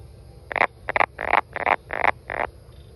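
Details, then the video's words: Six harsh, nasal croaks from a brown frog, evenly spaced about every third of a second, each a short broadband burst; low background hum. "Brown Frog"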